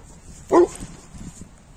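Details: A 4-year-old female Newfoundland dog gives one deep, booming bark, then falls quiet, while playing in the snow with other Newfoundlands in Kyiv.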